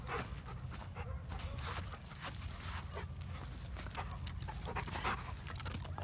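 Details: Rapid, steady panting from a black dog, once a frightened stray and now adopted, breathing in fast even puffs throughout with low background rumble.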